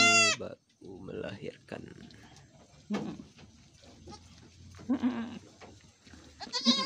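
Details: Etawah goats on a farmer's property in Bukittinggi, West Sumatra, Indonesia, where a doe is giving birth; a loud, harmonic, wavering bleat opens and another closes the stretch, with people talking quietly in between.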